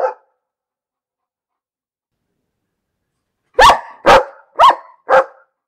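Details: Dog barking: a brief bark at the start, then after a long silence four sharp, loud barks in quick succession, roughly two per second, against a quiet background.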